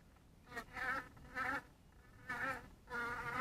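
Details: Honey bees at a small bee house in twilight light: loud buzzing bursts, each roughly half a second long, a steady low hum with rich overtones, recurring about every second over faint background hiss.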